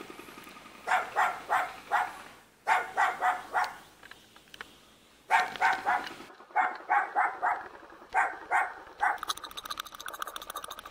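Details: Cute puppy living in a mountain village near Jeonju, North Jeolla Province, Korea, barking in quick bursts of three or four sharp, harmonic yaps separated by short pauses, with a hissy broadband texture near the end.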